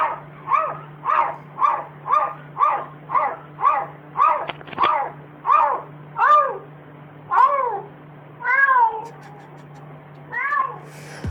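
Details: Domestic cat making an unusual doll-like vocalization: a rapid run of short, arching tonal cries about every half second, then slowing into longer, wavering, drawn-out calls, over a steady low hum.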